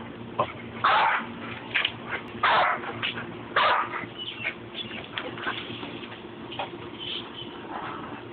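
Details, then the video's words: Two dogs, Levi and the Rat Terrier Babygirl, sparring: three loud yappy barks in the first four seconds, then softer scattered yips and grumbles over a constant background hum. "levi vs rat terrier"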